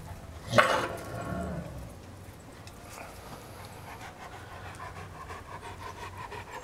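A Great Dane gives one deep, abrupt bark, then pants softly.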